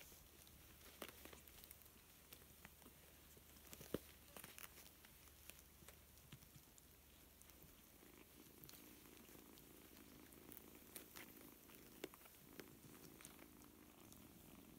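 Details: Four-week-old kitten, one of seven littermates learning to play together, purring as a soft, steady low rumble that swells from about eight seconds onward, over scattered light clicks and patter of small movements.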